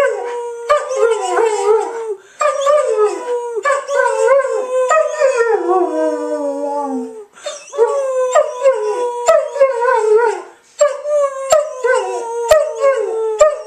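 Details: A German Shepherd named Kaya, prompted by her owner, howls in long, wavering, falling notes, joined by a person howling along.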